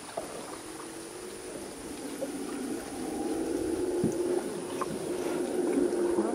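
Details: Deep, sustained roar of a howler monkey in jungle near the Rio Madre de Dios, heard while paddling; the rumbling drone swells louder toward the end, over soft water noise.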